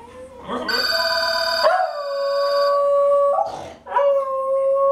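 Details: A female Pembroke Welsh Corgi howls when the phone rings, in long, steady tones that slide and break between held notes.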